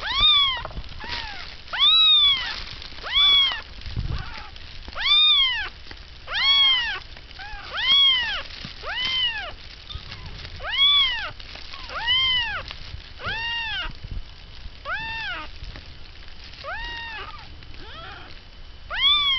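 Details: Baby cats of Kotsura, startled awake by a sneeze after feeding, call in a steady series of arched, high-pitched mews, each rising then falling, roughly one every second or so, over a quiet background.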